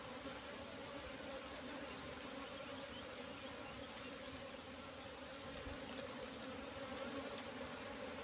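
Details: Wild Asian honey bees, Apis cerana, at a nest found in bushes with its honey full: a steady, dense hum with low droning bands holds evenly throughout, lifting slightly near the end.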